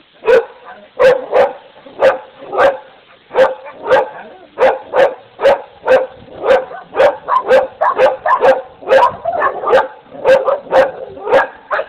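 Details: Dogs barking in a long, steady run of sharp barks, roughly two per second, with some overlapping and doubled barks toward the end.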